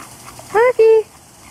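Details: Auggie the dog in his pool in hot weather gives two loud, clear whines. The first rises briefly, and the second holds a steady, even pitch for a quarter second. Low hum sits underneath and there is no other voice.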